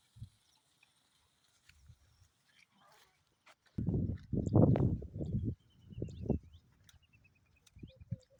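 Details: Sheep, a lamb and its mother, calling while grazing: a loud, wavering harmonic bleat of nearly two seconds, then a shorter second bleat, with faint bird chirps and soft rustling between calls.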